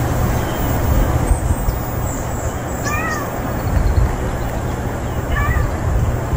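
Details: Unfamiliar male stray cat newly appeared. Two short, high, arching meows, one near the middle and one near the end, over steady low rumbling background noise.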